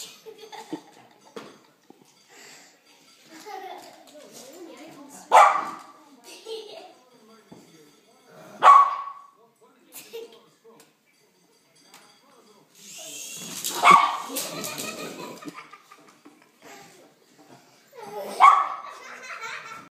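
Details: A Miniature Schnauzer gives sharp, single barks spaced a few seconds apart, reacting to a sky writer UFO.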